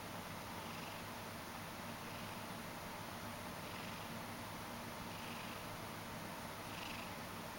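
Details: Drowsy Ragdoll cat kneading while half asleep: continuous deep purring rumble, gentle airy pulses about every second and a half, steady background hiss throughout.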